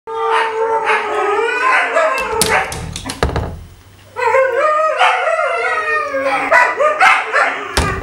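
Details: Six Tamaskan dogs howl together in overlapping, wavering tones that rise and fall, impatiently waiting for breakfast and a run.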